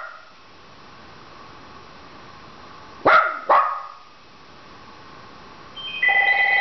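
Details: Penny the Dachshund barks twice in quick succession, wanting the phone answered. A telephone starts ringing near the end in a small indoor room.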